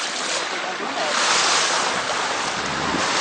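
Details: Steady rushing wind and sea surf at Ubatuba near Ilha Anchieta, Brazil, with no animal calls audible.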